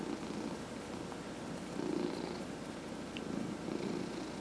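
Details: Elderly domestic cat purring throughout a head massage from its owner, a low, even rumbling drone with slight swells in intensity, steady and uninterrupted over a few seconds in a quiet indoor setting.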